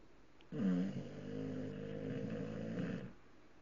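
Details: Snoring from Tank the English bulldog, sleeping with eyes open: a single loud, rough inhaled snore of about two and a half seconds, buzzing and nasal, starting with a sharp rasp.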